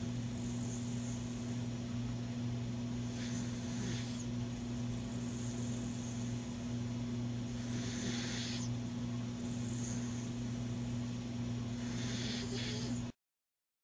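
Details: Sleeping pet beagle snoring, not at his loudest: soft, breathy rasping bursts recur every two to four seconds over a steady low electrical hum, with no voices.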